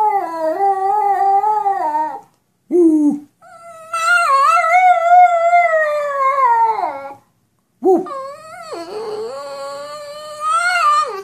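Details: Dog talking back to its owner in a series of varied whines and howls, some steady and drawn out, others short yelping dips, pitch bending up and down over several phrases.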